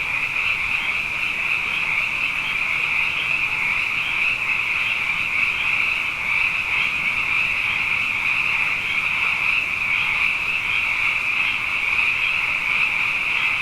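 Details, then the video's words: A nighttime sound bath of frogs, abundant after back-to-back wet years; a loud, constant, high-pitched pulsing chorus of many overlapping voices without any gap. "Frog Songs: Na Mele o nā Paloka"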